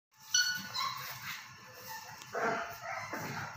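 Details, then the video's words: English Mastiff puppies giving short, high, whiny yelps and whimpers, a tonal cry near the start followed by softer overlapping squeals and a louder burst of whining toward the end, with light background rustling. "English Mastiff Puppies"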